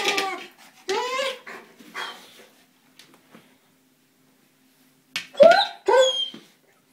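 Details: Male German Shepherd going after a small buoy, getting upset he cannot bite through it; two strained whining barks open, then a long quiet stretch, then two sharp rising yelps.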